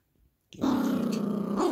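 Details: Yorkshire Terrier puppy growling while playing with a monkey dog toy indoors; after a short quiet start, a steady low rumbling growl runs unbroken for over a second with a slight rise near the end.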